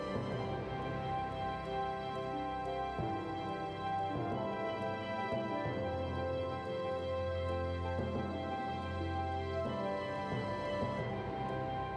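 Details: Soft sustained background music with gentle tones and a low hum; no animal sound.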